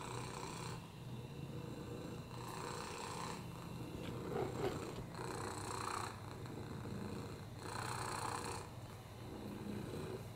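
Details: Purring on a lap from Oliver, a rescue cat with a broken hip, upper respiratory infections and FIV: a continuous low rumble, with breathy, hissing phases returning roughly every two to three seconds.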